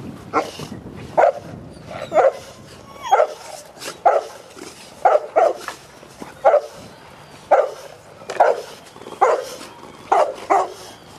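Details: Cane Corso (Canis lupus familiaris), bark.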